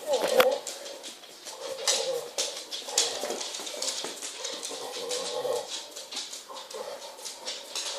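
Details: A female pit bull makes muffled, whimpering and grunting noises with a ball held in her mouth.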